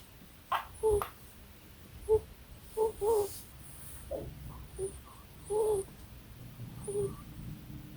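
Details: A deaf pet ferret, asleep and dreaming, gives soft, brief squeaks and whimpers in irregular little bursts.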